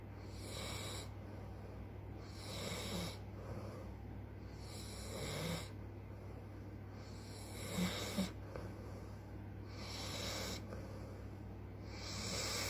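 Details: Sugar, a very tired American bulldog, snoring: rough, rasping breaths swell and fade about every one and a half to two seconds, each one a broad hissy burst over a steady low hum in the room.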